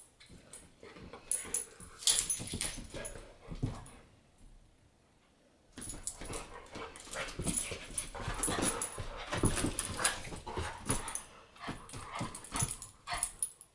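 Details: Indoor play between Bulka the American bulldog and Ava the Boston: dense runs of breathy grunts, snorts and scuffles, a quiet pause of about two seconds, then more rapid panting and rough huffing noises.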